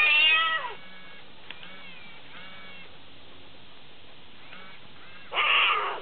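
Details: A very tame lion cub gives two loud, descending, harmonic mewing cries, one at the start and one near the end, with quiet faint sounds in between.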